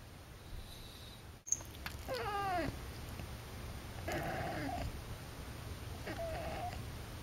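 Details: Akari, a pet cat in her first two months with a new family, meows three times indoors: a wavering, bending meow near two seconds, a broader, flatter one around four seconds, then a short, thin final meow, over quiet room noise.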